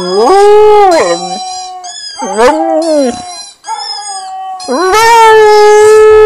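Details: Husky howling: a run of drawn-out, richly harmonic howls that swoop up and dip down in pitch, broken by short gaps and a steady held tone, closing on a long rising howl; no other clear sounds.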